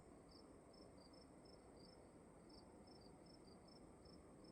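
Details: A room with crickets: bright, clipped chirps in doubled bursts at an irregular pace, some short pauses between runs, all above a dull steady hum.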